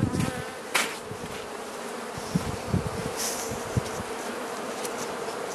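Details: Carniolan honey bee colony humming steadily in its hive while being fed in March 2017, southern Finland, +3 C outside, with repeated soft knocks from handling over the continuous drone.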